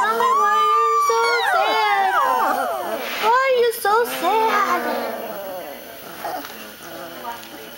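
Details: Several puppies from a recent litter whining together indoors: overlapping high, wavering cries and yelps sliding up and down, tapering off toward the end while a person talks softly to them.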